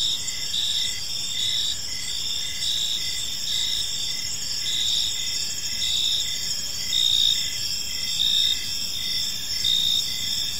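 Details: Park at evening filled with cricket chirping: dense, high, buzzy pulses from multiple insects repeating in a regular beat, steady loudness, faint rumble of background noise beneath.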